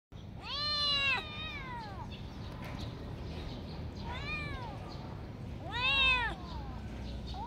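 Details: Kitten meowing: three harmonic, arched meows near 0.5, 4.2 and 5.8 seconds, the first long and drawn out, the others shorter, over a low steady background hum.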